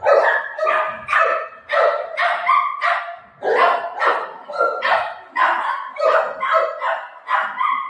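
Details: Buzo, a pet Golden Retriever, barks while playing with its mom: a steady run of about a dozen loud, harmonic barks, spaced roughly every half second, with no other clear sounds.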